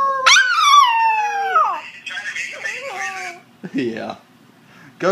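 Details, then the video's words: Male Shiba Inu puppy, nine weeks old, red sesame coat, howling when asked to sing, mobile phone recording: a rising yelp sliding into a long falling howl, then a wavering second howl and a brief yip, with a person speaking. "Cute Shiba Inu puppy singing"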